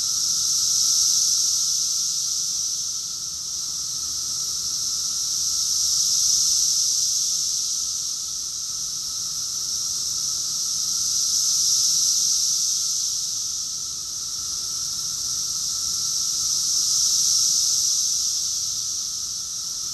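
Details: Many cicadas singing together in Rockville, Maryland, USA, in June 2021; the shrill hissing chorus swells and fades in slow waves roughly every five seconds, over a steady lower drone.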